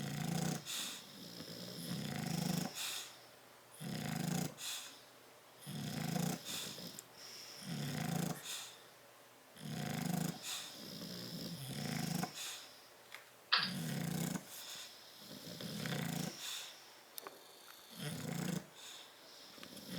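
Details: Two bulldogs, Tyson and Tyra, sleeping in a crate on 30 October 2012: a steady run of about a dozen coarse, rumbling snores, one every second and a half, with a brief squeak midway.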